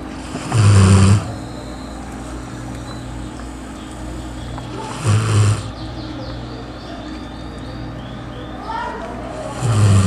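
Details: Sleeping dog in Matias Barbosa, Brazil, snoring loudly: broad, rasping snore bursts roughly every four to five seconds, each about half a second long, over a steady low hum and background noise.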